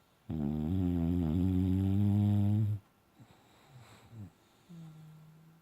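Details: Sleeping, dreaming Boxer named Bella gives one loud, deep, buzzing snore of about two and a half seconds, followed by soft snuffles and a brief low hum in a quiet room.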